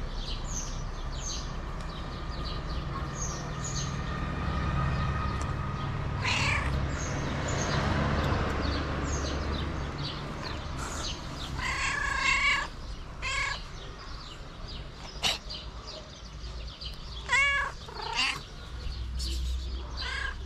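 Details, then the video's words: Hungry stray cat meowing repeatedly, with strong drawn-out harmonic meows near the end separated by pauses of a few seconds, over ongoing bird twittering and low traffic-like rumble. "The Cat Riding The Tricycle Was Cute And Hungry."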